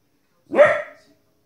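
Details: A single sharp, rich bark from a 15-week-old female Border Collie puppy reacting to wolves and other animals on TV, about half a second long, with strong harmonics.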